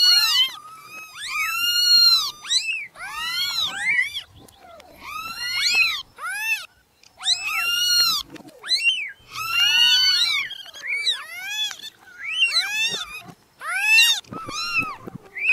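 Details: A chorus of newborn kittens crying: dense, overlapping high-pitched meows, each sharply arched and bright. The calls come in bursts separated by brief dips in loudness.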